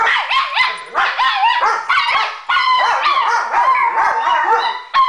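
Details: Two pet dogs, Sadie the Weimaraner and Tony Montana the Chihuahua, in their daily evening howling session; overlapping wavering yodel-like howls and yips, rising and falling in pitch, with brief breaks between bursts.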